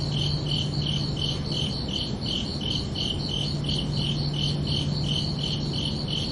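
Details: Night chorus of crickets, rapid high chirps pulsing roughly three times a second without pause, with a low steady hum running underneath most of the recording.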